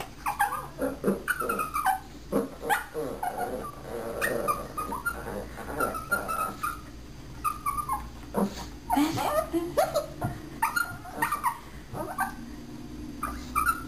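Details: Puppy being trained to speak on command, answering with a string of short, high yips and squeaky barks, many sliding downward in pitch, coming in quick bursts every second or so for about fourteen seconds.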